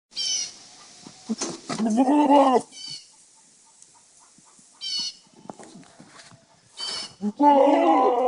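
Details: Male goats (bucks) on a farm, whose calls are said to sound like movie dinosaurs: several hoarse, harmonic bleats, the longest about a second, separated by quiet gaps, with faint background noises between calls.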